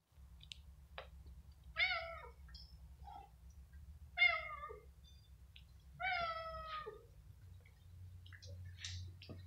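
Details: Hungry, tired stray cats on the street being given food: three drawn-out meows about two seconds apart, each bending downward in pitch, with soft clicks between them over a steady low hum.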